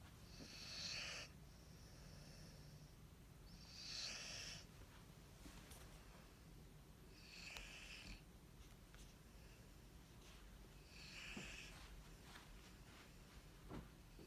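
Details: Corso, a dog, snores while asleep: four breathy, hissing snores roughly every three and a half seconds, near 1, 4, 7.5 and 11.5 seconds, over a low steady background hum.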